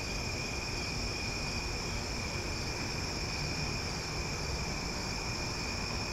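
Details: Omaha cicadas at night fill the air with a uniform, shrill electric whine in several bands, steady throughout, backed by a persistent low rumble like distant traffic.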